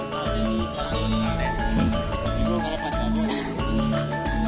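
Steady mallet-percussion music with a repeating beat fills the recording, and no animal voice comes through.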